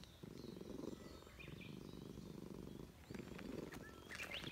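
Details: Stray Russian Blue cat with a tough face, living in a park, purring in its throat while petted at a reunion; two long rumbling purr phrases separated by a brief pause, light bird chirps in the background.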